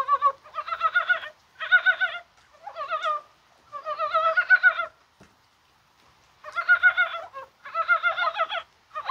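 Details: Rainy January 21 with spring-like warmth, mountain frogs calling in Korea, perhaps spawning: groups of quick, throaty chuckling bursts, each under a second, arriving in clusters with a gap of near-silence in the middle.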